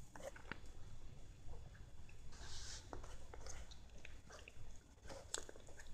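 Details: Siamese cat eating lettuce: scattered crisp crunching clicks and soft bites, with a brief louder rustling burst around the middle and a low steady background hum.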